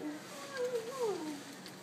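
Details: English Pointer, a three-year-old male in a Los Angeles shelter after being hit by a car, described as sad and lonely; a soft, thin whine glides up and down in pitch for under two seconds, quiet room.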